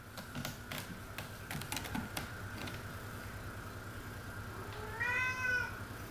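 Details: Anakin, a two-legged cat born without a pelvis or back legs, indoors near his six-foot cat condo: a few seconds of light tapping and clicking, then a single drawn-out meow that rises and falls near the end.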